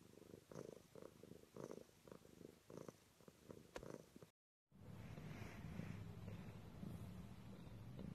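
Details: Domestic cat purring, a rhythmic low throb pulsing in quick breaths for about four seconds, then a brief gap before a smoother continuous purr resumes.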